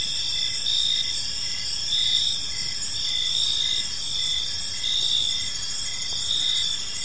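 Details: Evening park chorus of crickets: shrill continuous high trilling layered with brief pulsed chirps that swell every second or so, steady and unbroken throughout.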